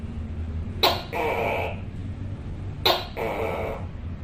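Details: A Tokay gecko (Gekko gecko) gives loud two-part calls, a sharp 'tok' then a drawn-out nasal 'kay', about every two seconds.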